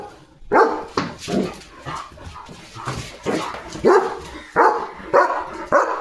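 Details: Barking and running at the gate while sheep pass, German Shepherd Leo lets out a rapid, uneven series of loud barks, roughly ten in six seconds, with a human voice in the background.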